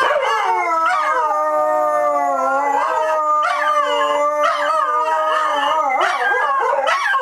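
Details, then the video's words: Dogs at Dodger Valley howl together on opening day. Several sustained tones overlap; a low voice holds steady while higher voices waver and rise in repeated bursts, with brief yipping breaks near the end. "opening day howl"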